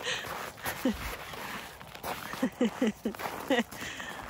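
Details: Hendo, a male Pomeranian puppy born 20 August 2021, on a playful winter walk, gives a short series of small sharp yaps, one alone then five quick ones close together, over footsteps and faint voices.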